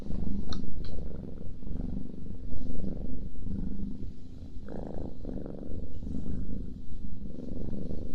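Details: Cat snoring and purring as it eats, close ASMR recording; low continuous rumble rising and falling in slow pulses, broken by a few wet chewing clicks and soft mouth noises.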